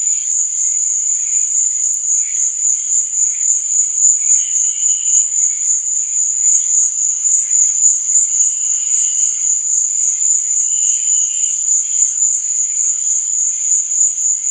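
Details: A steady wall of cricket song at night: a piercing constant trill running the whole length, overlaid by occasional quieter chirping bursts, with no other sounds present.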